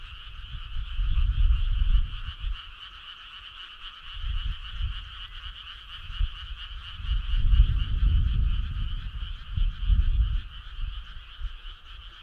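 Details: Summer-night frog choir: an unbroken buzzing trill in two pitch bands, overlaid by repeated bursts of deep, rumbling low sound rising and falling every few seconds.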